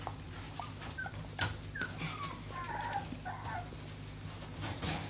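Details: Four-week-old American Staffordshire Terrier puppies just woken up; thin high whimpers and squeaky whines, some rising and falling, scattered over a few seconds amid soft rustling and handling noise.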